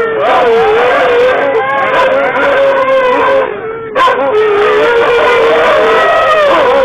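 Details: Huskies in a car give a chorus of drawn-out howls, several voices overlapping and weaving up and down around a similar pitch, with a short lull midway before the howling swells again.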